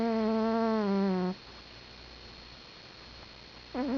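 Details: Sleeping cat snoring: a droning, strongly harmonic snore held for about a second and a half, then a quiet pause, then another snore rising at the very end.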